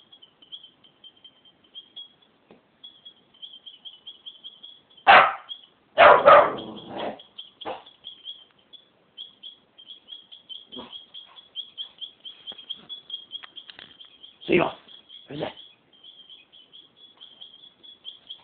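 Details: Bailey, an 11-week-old Rottweiler puppy, barking: a few sharp, high puppy barks, one single and a quick double, then another lone bark later, over a steady high-pitched whine or tone running throughout.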